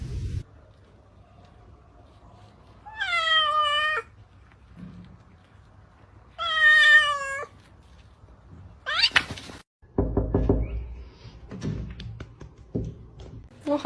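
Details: House cat giving two well-spaced, drawn-out meows that rise then fall, about three seconds apart, followed by bumps, rustling and a brief squeak in a quiet room.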